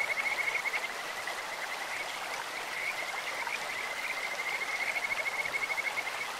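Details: Kajika frog calling in a clear stream: a high, steady whistled trill held at one pitch, with pulsing bursts that swell at the start and end, over constant rushing water.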